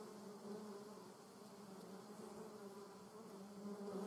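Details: German wasp in a garden; continuous low humming buzz of its wings, steady pitch with faint wavering, swelling slightly louder toward the end.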